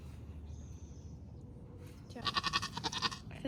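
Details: Labouring Nigerian Dwarf doe named Maggie, a first-time mother delivering twins in a Northern California dairy goat herd: after a quiet stretch, one wavering, tremulous bleat broken into rapid pulses closes the clip.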